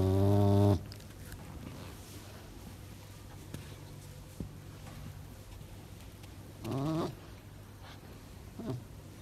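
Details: Playful male pet serval giving a short, loud, harmonic, low-pitched moaning call at the start. A softer, similar call follows about six seconds later, then a brief faint one, over a low background hum.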